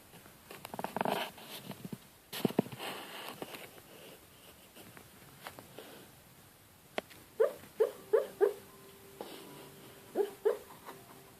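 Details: Buddy, a pet dog, barking and crying in his sleep indoors at Christmas time; a burst of muffled noise early on, then a run of four short soft yips near the end followed by two more.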